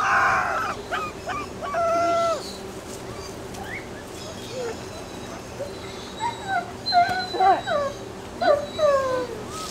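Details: Young Alaskan Malamute pups aged 26 days, Ciqala's litter at Sakima Kiwidinok, 20 September 2009, giving short rising whimpers and brief squeaky howls, scattered and overlapping, over a low steady background.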